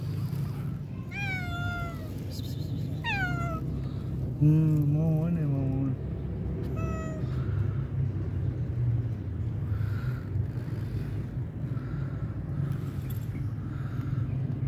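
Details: Homeless cats begging for food outdoors: several short meows in quick succession, some rising then falling, followed by a wavering trilled cry, then quieter faint calls over constant low urban rumble.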